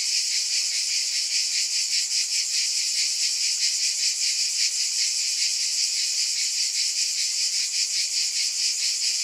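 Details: Dense cicada chorus, a steady high-pitched shimmering buzz that pulses about two to three times a second, with no other sounds.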